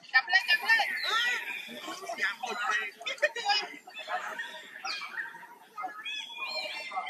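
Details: Injured baby monkey struggling to get free from a companion forced on it; rapid series of shrill, rising and falling screams with sweeping pitch, tightly packed, plus clicks and handling noises.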